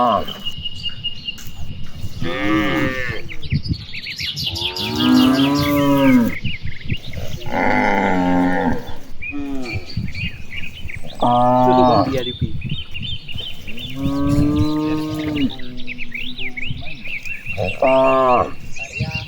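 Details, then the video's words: Cattle herd grazing and frolicking across rice paddies on an afternoon, calling back and forth: a run of about seven sustained, throaty moos of varied pitch, spaced every two to three seconds, with steady birdsong from trees behind. "Vidio suara puluhan sapi lucu,sapi merumput dan bermain di hamparan sawah"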